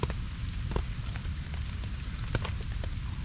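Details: Steady rain falling in a forest, with scattered drops tapping on surfaces and a low rumble beneath; no animal voices are heard.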